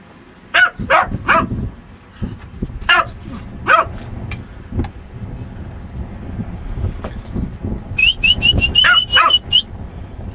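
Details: Pet dog Lucky barks in short, sharp bursts: a quick run of three, then scattered single and paired barks. Near the end, rapid high bird chirps overlap a final double bark over low background rumble.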